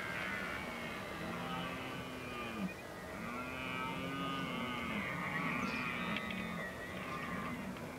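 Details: Red deer rut recorded 15 October 2011 in the Oostvaardersplassen, Netherlands: drawn-out, deep, groaning calls in two or three sweeping arched phrases, each several seconds long, with a steady hiss of open-country background.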